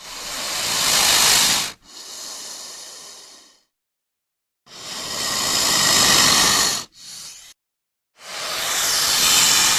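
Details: Snake attacking with strong, breathy hisses, three loud bursts each followed by a weaker, shorter hiss, separated by brief silences.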